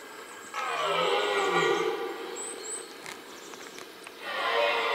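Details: A red deer stag in the middle of a rutting ground gives a loud, rough, drawn-out roar during the rut, then starts another.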